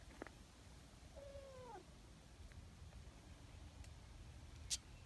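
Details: Friendly, affectionate community cat, a loud-voiced tabby, coming straight down from a hill; a single drawn-out falling meow, then faint rustles and a sharp click.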